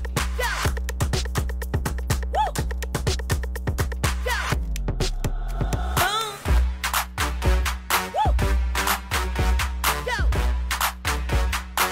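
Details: Upbeat electronic dance music with a thumping beat and sweeping synth tones, and no animal sounds.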